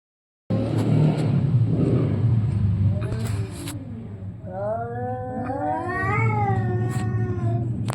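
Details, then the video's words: Orange and white cat in a fight, defending its area; after a noisy rumbling start, long wavering yowls rise and fall from about three seconds, overlapping harmonic wails with a few sharp clicks over steady low background hum. "cat funny fights sound | excuse me ! this is my area"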